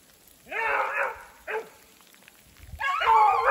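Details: Two beagles, Rio and his sister Ripley, on the trail of a snowshoe hare in snowy woods as sleet mixes into rain, give three loud, full-throated bays separated by short pauses, the last long and sustained.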